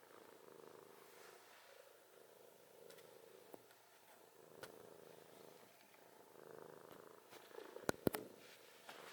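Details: Sleeping cat's snore in a quiet room: soft, throaty, rumbling breaths rising and falling in a slow regular cycle, with brief clicking noises near the end.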